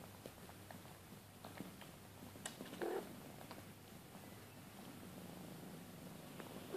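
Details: Maine Coon mother with two-month-old kittens at a breeding cattery; an even low purr, broken by a short tonal squeak near three seconds and another at the very end, plus light rustles.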